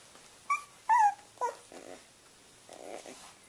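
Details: Three-week-old Boxer puppies indoors, learning how to play: a few short, high, whiny yelps sliding downward, then softer, lower grumbling bursts and a quiet pause.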